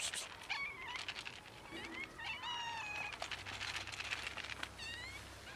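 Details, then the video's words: Cats and kittens almost raided by a pregnant dog, several high, rising and falling meows overlapping in quick succession, some sliding upward, with steady outdoor background noise. "Kittens and cats ALMOST raided by a pregnant dog"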